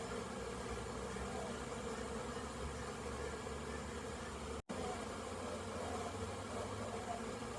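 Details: Honey bees on orientation flights around a very busy hive, 22 September 2022, many returning with pollen: a dense, steady low hum of countless wings with no clear breaks, broad and droning throughout.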